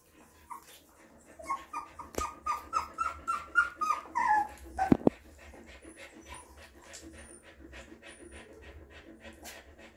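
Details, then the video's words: Mother dog licking and nursing her puppies: a puppy whimpers in a string of rising, pulsing squeaks for about three seconds. Rhythmic wet licking or suckling sounds then repeat roughly twice a second. "Mother Dog Cleaning And Feeds Puppies – ASMR Dog Licking"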